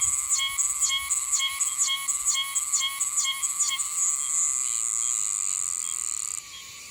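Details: Meimuna oshimensis cicada singing in Okinawa's Yanbaru, heard until roughly mid-December: rapid series of shrill, swooping phrases, about two per second, merging into one continuous high ringing tone that ends abruptly.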